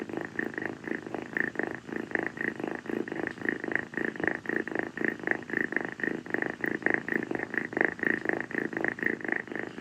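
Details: Kii, a rescued female calico kitten, purrs nonstop while clinging to a person's feet on a hot tropical night after playing; soft rhythmic rasping pulses, roughly two per second, in a quiet indoor room.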